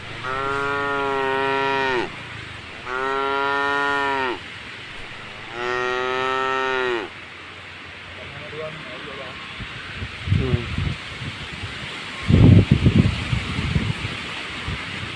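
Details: A tame cow on a roadside by the forest, crossing a puddle, moos three times in quick succession within seven seconds, each call rich and droning, then the scene fills with splashing knocks and thumps.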